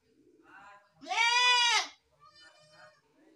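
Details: A single loud, quavering goat bleat of about one second, bright and nasal, framed by softer, muffled bleating and background sounds before and after.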